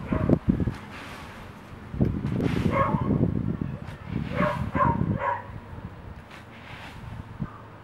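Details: Bull Terrier puppies, six to seven weeks old, at play; one pup named Frankie gives short harmonic yips and barks in bursts around three and five seconds, over scuffling and a person speaking softly.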